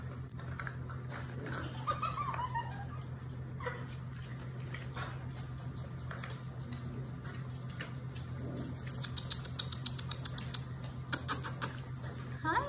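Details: A litter of German Shepherd, Labrador and Rottweiler mix puppies. A thin, wavering whine slides downward about two seconds in. Fainter whimpers follow later, over a steady low hum and scattered light scuffling and clicking.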